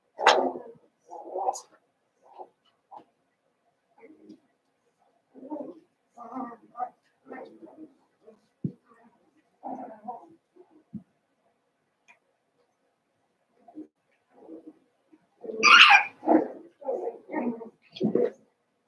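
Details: Daisy's seven-week-old Cavalier King Charles Spaniel pups in an indoor home pen make scattered short whines and soft yips, growing into a louder burst of rapid, high yelping cries toward the end.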